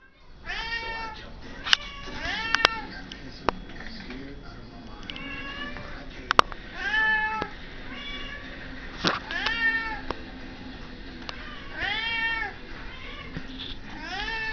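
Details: Cat; meow; demanding to be fed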